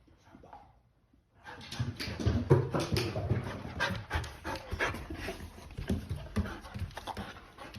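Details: Akita named Monta, indoors, repeatedly told "walk" until flustered; heavy rapid panting and snuffling begins after a second of quiet and continues throughout, with small whimpering sounds mixed in.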